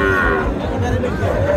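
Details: Dairy cow with calves at the weekly Monday Chhatra cattle market in Naogaon district, Bangladesh, on January 27, 2025: a brief, low, droning moo under dense market crowd noise.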